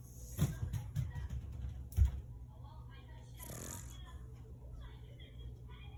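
An English Bulldog snores with deep, rumbling breaths and occasional snorts.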